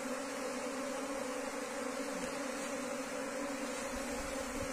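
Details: Steady swarm hum from wild Asian honey bees being rehoused in a cultivation box; two clear low tones buzz evenly over a dense, noisy wash, with occasional soft thumps underneath.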